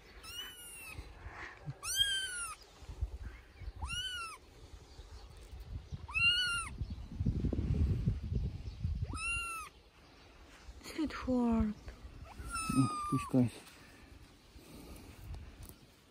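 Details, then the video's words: Johnny, a three-week-old kitten, plays on dad's shoulder and meows loudly: high, arching meows roughly every two seconds, then lower, falling cries near the end, over a low rumble of handling noise. "Tiny kitten Johnny meows loudly at dad's shoulder"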